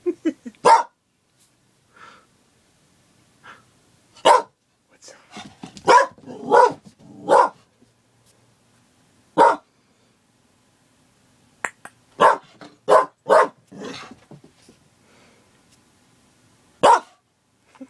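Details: Riley, a female Border Collie, in a barking mania, recorded on an iPod Touch 4th Generation: sharp, loud single barks in irregular bursts, several quick clusters of three or four barks, with quiet gaps and soft grumbling between.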